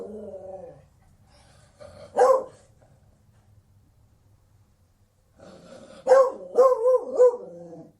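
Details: Single loud bark from a Beagle, then a quiet gap, then a rapid burst of several yelping bays with wavering pitch; a low steady hum runs underneath at the start.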